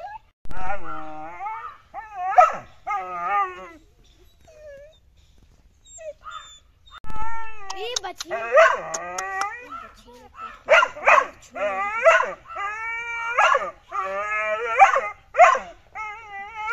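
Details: Pit bull puppy vocalising with whining, yelping barks: high wavering whimpers in bursts, several clustered yelps near the end, with gaps of near silence between.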